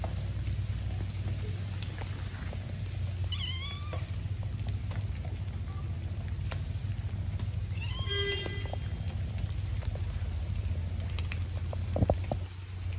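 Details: Stray kitten on an Istanbul street in Turkey meowing for attention while other stray cats eat; two clear, drawn-out meows a few seconds apart, the second more strained and wavering, over a steady low rumble and scattered faint clicks.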